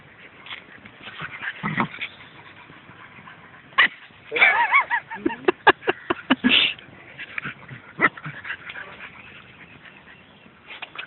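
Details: Dog giving high, whining whimpers and short sharp yips, clustered in a lively burst midway with a few isolated yelps around it, while people talk and call out in Tamil nearby.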